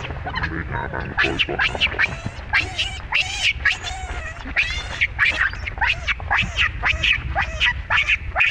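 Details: Baby monkey Rainbow and mother Libby, with the mother mistreating the baby: a steady run of loud, harsh, harmonic cries, each sweeping up then down and repeated about twice a second, over low background rumble.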